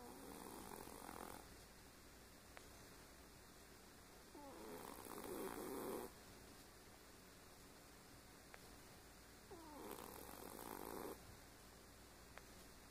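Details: Domestic cat sleeping deeply and snoring, with soft, rasping breaths about every five seconds in a quiet room with a steady faint background hum.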